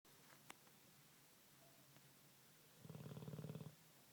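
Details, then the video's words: Olde English Bulldogge pet dog asleep indoors, giving one short rasping snore under a second long, a fast buzzing rattle low in pitch with a faint higher overtone. Quiet room otherwise, with a couple of soft clicks before it. "Olde English Bulldog Snores like a Man"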